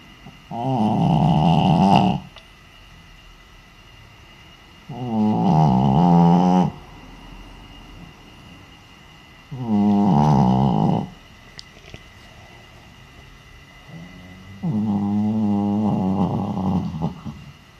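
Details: Naomi, a senior Shih Tzu asleep and wearing an Elizabethan collar, recorded with a noise-meter app: four loud, rasping, harmonic snores, each about one and a half seconds long, repeating roughly every four to five seconds with quiet breathing between.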